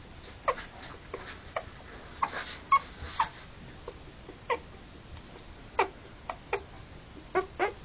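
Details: Three-week-old Harlequin poodle puppies born October 28 2009, giving short, thin high squeaks and whimpers scattered irregularly, about a dozen brief cries over eight seconds against a quiet background hiss.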